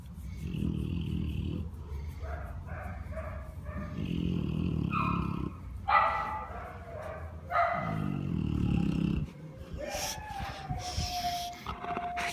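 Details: Big Buster, a big Dogue de Bordeaux lying in the sunshine, gives long low rumbling groans and grumbles in drawn-out bursts, with higher whining tones between them and a thin rising whine near the end.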